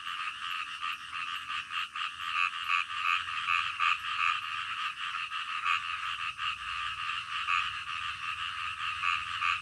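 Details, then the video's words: Nighttime frogs calling in the dead of night, a soothing natural soundscape; continuous chorus of rhythmic, rasping croaks in fast pulses, several callers overlapping without pause, faint low rumble beneath. "SUARA KODOK DITENGAH MALAM"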